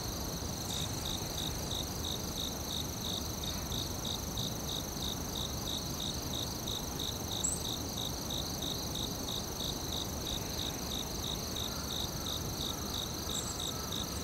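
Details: Forest cricket giving evenly spaced short chirps about three per second, weakening briefly mid-way, with a constant high-pitched insect drone and low broadband rumble behind.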